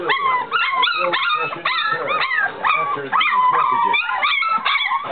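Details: Litter of three-week-old puppies whining and squealing together, a dense overlapping chorus of high, rising and falling yelps and whimpers with no pauses.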